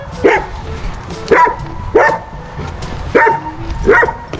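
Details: German Shepherd named Major, out trying to make friends with other dogs: five sharp, loud barks spaced unevenly about a second apart, with faint background music and a brief human voice.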